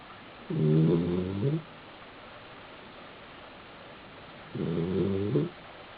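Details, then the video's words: Two low, rattling snores about four seconds apart from a male Basenji lying asleep on his back inside an apartment in South Park, Pennsylvania; soft indoor background between breaths. "(Basenji) Sleeping and snoring on his back."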